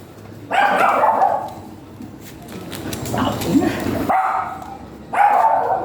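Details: Golden Retriever at stud service in Binalonan, Pangasinan: three sharp, loud yelping barks with tonal ringing, separated by quieter stretches of murmuring and background noise.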